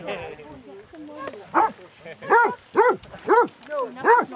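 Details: Basset Hounds, part of a group of 22 on a walk at Belwade Farm, Dess, Aboyne, Scotland, 2 October 2016: a run of about six loud, arched, harmonic barks, roughly every half second, following brief human chatter.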